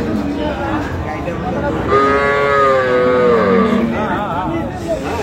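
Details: Cows with calves at the Ambari cattle market in Dinajpur, Bangladesh, on 31 October 2025: one long, harmonic moo of about two seconds, steady then slightly falling, over crowd chatter and men talking nearby.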